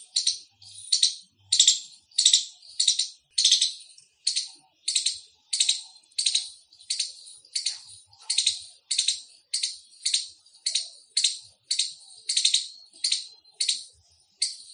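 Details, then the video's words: Loud squirrel chirping, described as an Indian squirrel (gilhari): about two dozen sharp, high, harsh chips in a steady series, one roughly every 0.6 seconds, each a brief bright burst, against an otherwise quiet background. "Loud Squirrel Chirping sound | squirrel sounds | गिलहरी की आवाज |।गिलहरी की बोली।"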